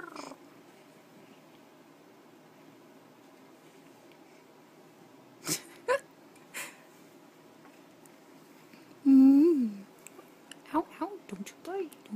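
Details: Domestic cat on a loft bed indoors; a quiet stretch with a few faint clicks and knocks, then a loud drawn-out wavering meow, followed by a run of short chirping meows in quick succession.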